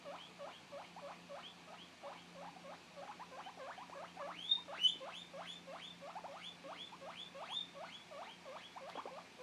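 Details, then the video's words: Two-month-old male pet guinea pig separated from its companion and calling for its friend: loud, rising whistled squeals repeated about three times per second in a steady run over a low background hum. "Guinea pig looking for his friend while making loud noises"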